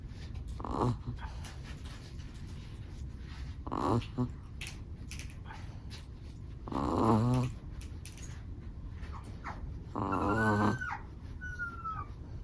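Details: Steady snoring from a sleeping black-and-tan Chihuahua, buzzy nasal breaths returning roughly every three seconds, the last few longer and louder, over a low indoor rumble.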